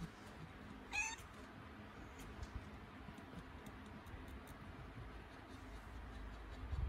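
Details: Cat in labour during contractions gives a single brief, strained high meow near the start, then long quiet stretches of low room hum with faint clicks.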